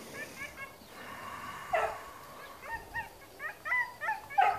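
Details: Trained long-haired German Shepherd guarding at a training school in Spata, Greece, giving scattered sharp barks and yelps, quieter at first and louder toward the end, with faint background voices.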